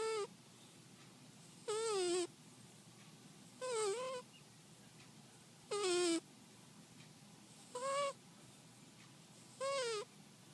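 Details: Shiloh, a sleeping cat, snoring: a squeaky, whistle-like tone returning about every two seconds, each note dipping and then rising, six in all, with a quiet room between breaths.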